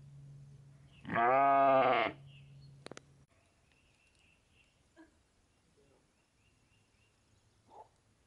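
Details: Sheep with lambs that sleep on their mothers' backs; one loud, harmonic, wavering bleat lasting about a second, followed by quiet background with a few faint clicks and a short distant sound.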